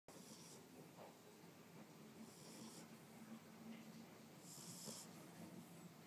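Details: Boomer, an 8-week-old Boxer puppy, snoring while asleep after his first day in his new home: soft, breathy hissing snores about every two seconds over a quiet indoor hum.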